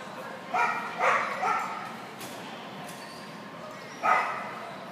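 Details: Portuguese Podengo Pequeno running a Novice Jumpers With Weaves agility course. Three quick barks sound close together, a pause of over two seconds follows, then one more single bark against low hall background noise.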